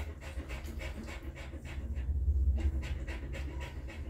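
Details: Mother dog cleaning and feeding her newborn puppies, breathing in rapid, rhythmic pants, roughly four breathy puffs per second, with a short louder stretch midway and faint licking and rustling underneath.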